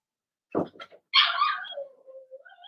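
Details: Indoor pen of six Blenheim Cavalier King Charles Spaniel puppies, Remy's first litter, during potty training. A few soft grunting noises come before a loud, high yelp, which slides down into a long, drawn-out whine with small squeaks at the end.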